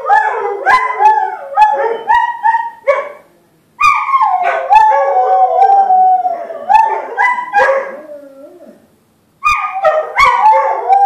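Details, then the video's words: Duet of two household dogs howling at a talking caller ID: yipping, choppy starts give way to drawn-out wavering howls that tail off downward, pause, then restart with bright overlapping cries. "Howling pups"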